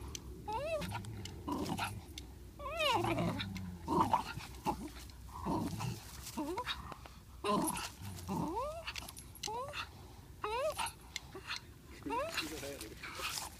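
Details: Two dogs, a Parson Russell Terrier and a Swiss mountain dog, fighting over a ball: repeated high whining yelps that rise and fall in wavering arcs, mixed with low growls and scuffling noises throughout.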